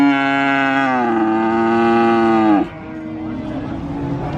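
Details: Cow at the cattle market in Sokaraja, Purwokerto, Banyumas, giving one long loud harmonic moo that holds steady then dips slightly before breaking off, followed by a busy murmur of market background noise.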